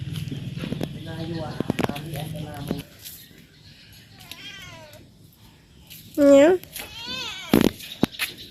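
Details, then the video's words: Talkative male cat at home, meowing because he wants his owner to play with him. A human voice talks for the first three seconds, then several wavering meows follow, one short loud meow near six seconds, more arching mews, and a sharp knock. "Talkative cat wants his owner to play with him."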